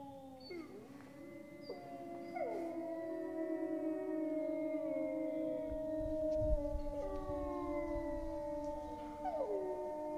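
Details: Grey wolves howling in France, sought out far afield: several long, sustained tonal howls overlap in a chorus, some sliding upward then holding steady, others falling, with higher voices weaving above deeper ones throughout.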